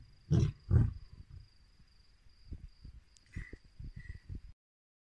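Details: Lions roaring at night near a lodge: two loud, deep, booming roars open, followed by a run of shorter, softer grunts that fade out, with a thin steady high tone running underneath.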